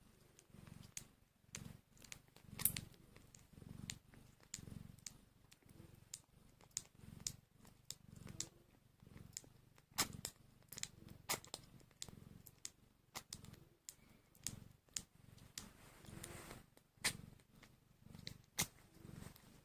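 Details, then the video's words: Low, steady pulses of purring come from hungry newborn kittens one hour after birth, rising and falling in bursts, with many crisp clicks and smacking sounds scattered throughout in a small room. "So Tiny and Hungry Kittens | Making Cute sounds"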